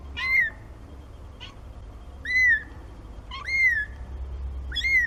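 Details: Four high-pitched kitten meows from Nina's litter of four, aged 17 days, repeat about once a second. Each is a short arched cry rising then dropping, rich in overtones, with a faint chirp between the first two.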